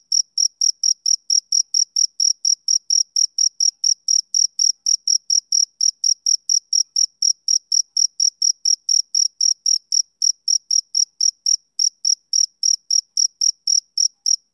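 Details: Rhythmic chirps from a male cricket, typical of summer evenings: a long regular series of shrill, high, clipped pulses at about four per second, uninterrupted and alone in a quiet background.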